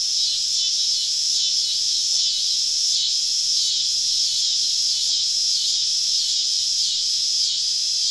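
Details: A loud cicada chorus deep in southern woods on a summer evening throbs in regular pulses roughly twice a second, a bright rasping buzz over near silence below.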